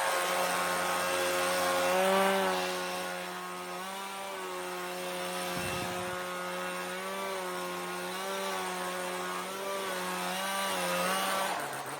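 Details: A steady, wavering mechanical drone like a power tool or engine runs throughout; no animal calls.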